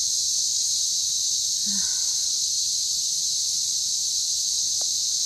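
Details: Loud cicada noise in the Australian bush, January 2024, praised as a natural alarm clock: one steady, high-pitched shrill drone with no breaks, and a faint soft knock partway through.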